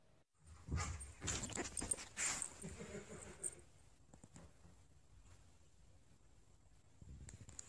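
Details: Husky named Sasha protesting indoors as her collar is put on: a run of harsh, breathy whines and grumbles packed into about three seconds, then fading to quieter scuffles in a small room.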